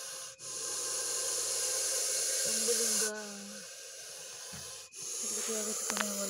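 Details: Russell's viper in an agitated, hyper state after being attacked by a dachshund: a loud, steady, airy hiss lasting about three seconds, followed by a quieter breathy hiss, with people talking and brief tonal sounds over it.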